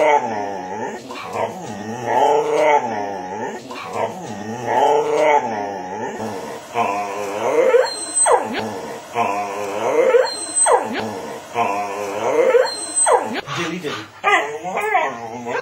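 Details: A talkative 11-month-old Miniature Schnauzer bitch producing her favourite sayings 'herrooo' and 'yom yom yom': long wavering moans and yodelling whines that rise and fall roughly every two to three seconds, while her owner answers with 'nom nom' and praise.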